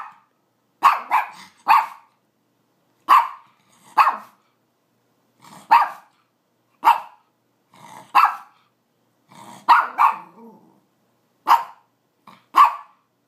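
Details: A pet Pomeranian giving a series of sharp, high, clipped barks, often in pairs, about a dozen over thirteen seconds with quiet gaps between.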